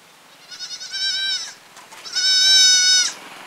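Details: Goat in a village giving two long, bleating calls, each about a second, quavering and nasal, separated by a short pause.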